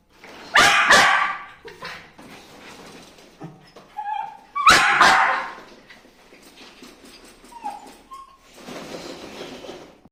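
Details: Dog giving loud broadband barks in two bursts, then softer yips and short whimpering whines with brief rising tones, ending in a noisy rustle.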